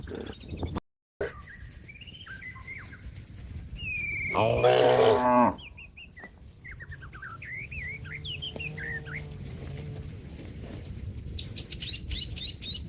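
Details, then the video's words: Cow calling to a companion that is grazing in a field: one loud, deep, harmonic moo lasting about a second, with small birds chirping and twittering around it and a steady rustling background. "suara sapi lembu memanggil kawan yang lagi makan rumput diladang the sound of a cow calling a friend"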